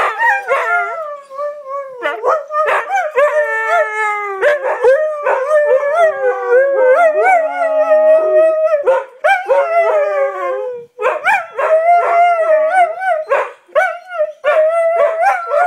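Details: Singing Siberian Husky inside a home, mixing short yips and choppy vocal bursts with longer wavering howls, pitch bending up and down in a talkative, uneven rhythm with brief pauses.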